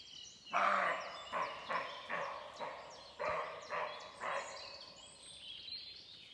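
A sambar deer gives a run of loud, hoarse barking honks, about two each second.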